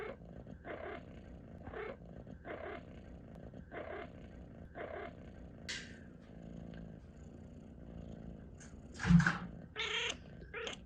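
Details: Pet cat chirping over a purr in a room. Short bright chirps repeat about every second above a low purr, and a louder burst comes near the end.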